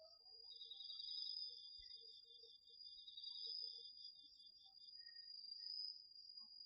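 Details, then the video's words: Crickets and other autumn insects sing at night in a home garden field, captured with a DR-40X recorder; one shrill continuous trill runs throughout while a second insect adds lower, rapidly pulsed chirping phrases. "秋の虫の声 ASMRでおやすみなさい 〜虫の音を枕元で聞いてね〜 こおろぎ他"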